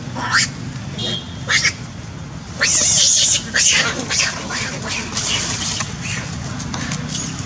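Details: A young female monkey, chased and bitten, gives loud, harsh, high screaming cries in bursts, calling all its group for help.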